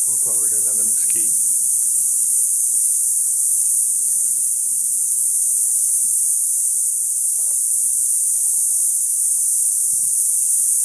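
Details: Cicadas in a mesquite tree on a summer neighborhood stroll just after sunset: a dense, steady high-pitched hiss runs without a break, with a man's voice speaking briefly at the start.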